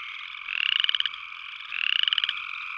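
Upland chorus frog giving two short, rising, pulsed trills, like a fingernail run along a comb.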